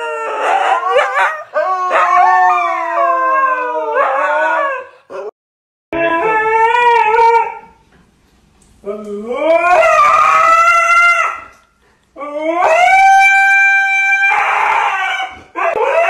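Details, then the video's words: Siberian Husky screaming in bursts of bending, yodel-like howls. Each phrase slides up and down for a few seconds, separated by short silences, and some bursts turn harsh and raspy at the end. "husky screaming woof!"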